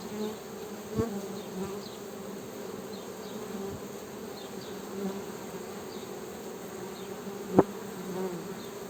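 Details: Continuous low drone of honey bees, an even, unbroken buzz with a clear harmonic overtone; sharp tapping knocks punctuate it at about one second and again near seven and a half seconds.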